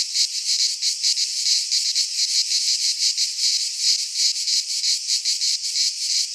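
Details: Cicadas singing in midsummer in a Greek pine forest: a loud, continuous, dry buzzing chorus pulsing in rapid beats, several per second, with no other sounds.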